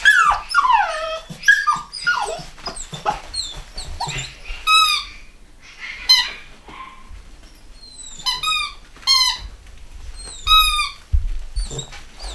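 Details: Litter of home-bred chocolate Cockapoo puppies, Cocker Spaniel x Poodle crosses, in the UK in 2015, giving many high, squeaky whines that slide downward, overlapping in quick irregular bursts, some with sharp stacked squeals.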